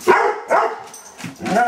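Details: Rudy, a Doberman Pinscher, barks in alert response to the question "What's that?"; four loud barks spaced roughly every half second, indoors.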